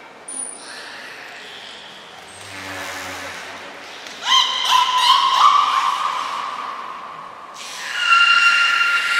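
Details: Beluga Niko training at Port of Nagoya Public Aquarium on 25 February 2024: brief high whistle tones, a low faint hum, then a loud buzzy harmonic call near mid-clip lasting about three seconds, and another starting near the end.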